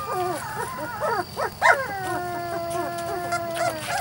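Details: Weimaraner x Vizsla puppies aged three to four weeks give short choppy squeals, then a long drawn-out whine that holds level and slowly fades.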